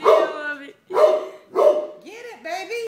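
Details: A pet dog barking at a floor mat gives three drawn-out, tonal barks in quick succession, about half a second each. A person then speaks over the end.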